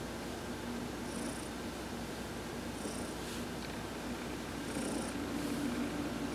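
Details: Pet cat Heidi purrs continuously under a massage as she sunbathes, November 19, 2020; the low, even, pulsing rumble never stops, and brief soft high rustles come at intervals of about two seconds.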